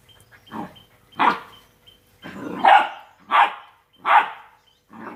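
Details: Two-month-old Rottweiler puppies playing, giving sharp yappy barks and play growls roughly every second, some barks overlapping.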